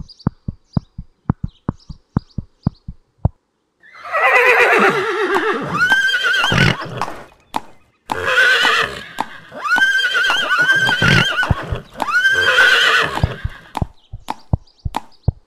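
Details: Horse whinnying in long, loud, quavering bursts that rise and fall, three or four calls over about ten seconds, with quick clip-clopping hoofbeats before and after.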